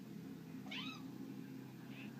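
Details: Pet Bengal cat at play gives one short, falling meow with bright stacked overtones, lasting under half a second, over a steady low hum; a man chats before and after.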